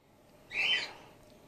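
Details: Grey-headed flying-fox pup Gwickle, a female in care and bottle support-fed after her mother was concussed, gives a single short, high squeaky chirp in an otherwise quiet room.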